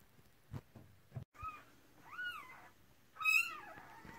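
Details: Cardigan Welsh Corgi, red merle, during the 2018 delivery of her first litter of six puppies: several high, arched squealing cries, the last loud and rising then falling, between soft rustles and thumps.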